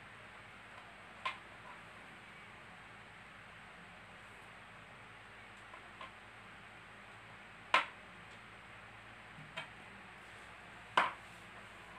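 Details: Low background hiss broken by a few sharp isolated clicks and taps, with no animal voice heard.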